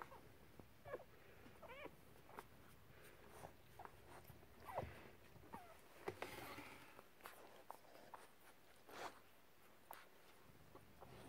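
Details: Lagotto Romagnolo x English Cocker Spaniel puppies, a litter 3 weeks and 2 days old, in Austria near Vienna, give faint, high, wavering squeaks and whimpers amid soft rustling.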